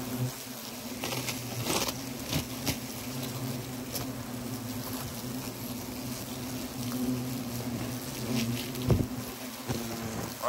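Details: Steady low droning hum from wasps flying in and out of a disturbed nest in a tree trunk serving as a pot stand, Le Vaudreuil, early November, with scattered taps and brief louder knocks.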